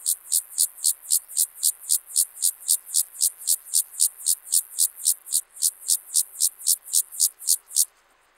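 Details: Club-legged grasshopper stridulating at Leogang, Austria, 5 September 2023: a long run of nearly thirty loud, crisp rasping pulses at a brisk regular beat, ending abruptly near the close and leaving near silence.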